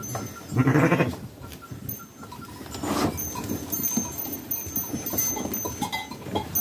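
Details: Sheep on a farm kept with newborn lambs and Kangal dogs during daily care; one loud, wavering harmonic bleat of about half a second near the start, then quieter rustling, clatter and faint farmyard noises.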